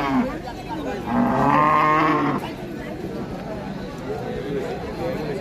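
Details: A bovine at a 2024 Qurbani cattle market lets out a loud, even, drawn-out moo of just over a second, with low market hubbub around it.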